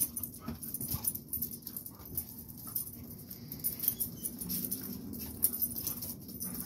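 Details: Fight between a Rottweiler and a blue pit bull: rough, low growls and snarls run throughout, with one clearer whining growl near the end amid constant scuffling and bumping noise.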